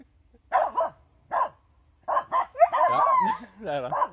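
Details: Finnish Spitz outdoors near a squirrel: three double barks, bright and clipped, then a longer wavering, whining bark blends with a voice toward the end.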